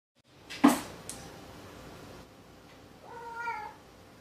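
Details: Indoors, a sharp knock and clatter come first, then Maru the cat lets out one drawn, gently wavering meow toward the end of the stretch.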